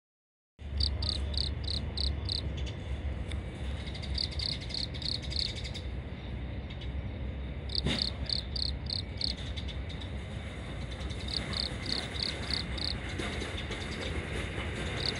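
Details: Cricket chirping on a long autumn night in Japan: bursts of short, even high pulses, about five per burst, repeated every couple of seconds over a steady low hum.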